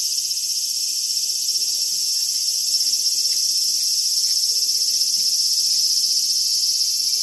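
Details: Loud, even buzzing of a large brown cicada, a summer insect, a dense high hiss that never pauses, with a quiet background.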